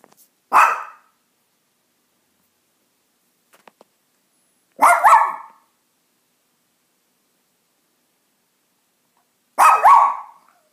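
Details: Ginger the dog barks three times, roughly every four to five seconds, each bark short, harsh and slightly doubled, with near silence between.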